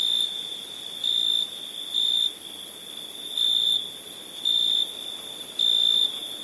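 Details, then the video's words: Crickets chirping at night: a constant piercing tone with louder swells repeating about once a second, set against a thin, very high background shimmer. "Night ambience cricket sounds"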